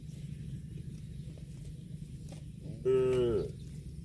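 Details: Cow out grazing on grass gives a single short moo, about half a second long, with a bright, slightly falling tone late in the recording. Low rumbling background noise runs throughout, with faint rustles before the call.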